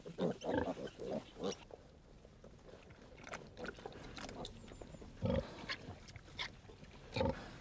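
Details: A large farm sow in a pen, mother of piglets born about 15 days earlier, gives deep, short grunts in clusters. A burst comes at the start, then single low grunts every couple of seconds, with faint background murmur.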